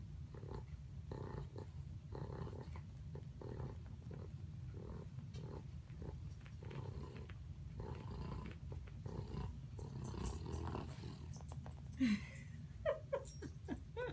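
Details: Pug dog dreaming while asleep, snoring and snorting in a regular rhythm of rough, low breaths roughly every second, with a few sharper squeaky snorts near the end.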